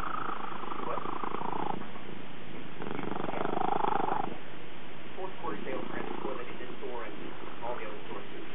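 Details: Pet Ranger the cat grooming Woody, another cat. A continuous deep, pulsing purr is heard, strongest in the middle section, overlapped by human voices talking.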